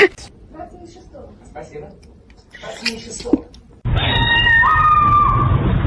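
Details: Kitten meowing indoors: after quiet speech and small scattered noises, one long drawn-out meow starts steady, steps up in pitch partway through, then holds level, over a loud steady background hum.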